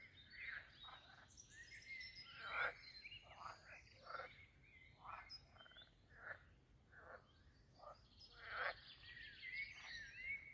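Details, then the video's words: Chorus of frogs at a castle-garden pond in Posterholt, Netherlands, during mating season, giving loud, rattling croaks in quick overlapping series, rising and falling in intensity, with a few sharp squeaky notes. "Talking Frogs and other jungle sounds at the Pond"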